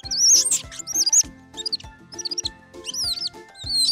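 Capuchin monkey giving shrill, twisting squeaks in quick bursts, several per second, over steady background music.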